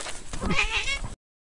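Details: Cat crawling in snow, going deep and coming out again, gives a short, high, bright meow over rustling noise before the sound cuts off abruptly.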